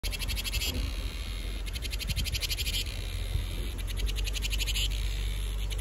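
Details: Cicada singing, a summer chorus: high, rapidly pulsed buzzing in bursts of about a second, rising and falling in strength over a steady low rumble of wind or handling noise.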